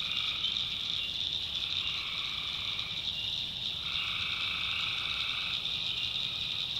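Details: Night chorus of tree frogs from North Carolina backwoods swampland, a steady shrill high trill running without pause while lower buzzing calls swell in for about two seconds, fade, then return.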